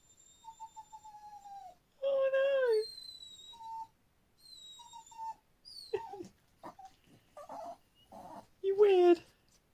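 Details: A pet dog acting weird gives thin, level whines that tail downward in short repeated bursts, broken by human talking and a loud vocal outburst near the end.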